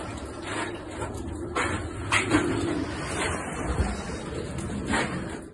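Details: A caracal (Caracal caracal) hisses in short, sharp bursts of breathy noise against a low background rumble.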